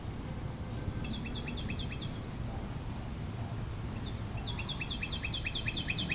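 A cricket gives a steady, high-pitched trill broken into rapid repeated chirps.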